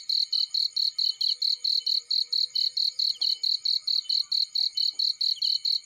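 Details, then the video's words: Cricket in a field beside a burning fire, chirping in steady, high, shrill pulses about four or five per second throughout, with a faint extra tone and occasional soft crackles underneath. "Warm Relaxing Fireplace In Field || Burning with Cricket Sounds"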